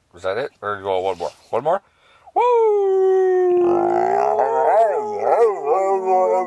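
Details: Inside an RV a few spoken words give way to little dog Sammie the Pooper and its owner howling together: a sustained tonal howl that becomes wavy and overlapping toward the end.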